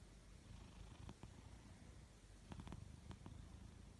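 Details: Maine Coon cat snoring, a low, steady rumbling breath with a soft rasp and a few faint clicks layered over the continuous drone.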